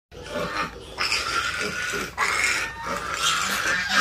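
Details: Piglets at play, giving harsh noisy squeals and grunts in overlapping bursts, loud and continuous with little pause.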